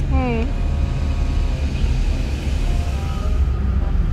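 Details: Kitten on its first time outside the house, confused, gives one short falling meow at the very start, then only steady low traffic rumble and a faint engine-like hum fill the rest.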